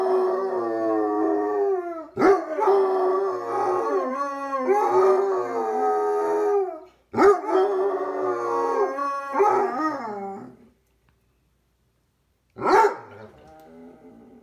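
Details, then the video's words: Pair of Basset Hounds in a howling duet, overlapping rich, wavering howls that rise then fall and break into sobbing pulses, three long bouts followed by a silent pause and one final shorter howl. "howling basset duet!"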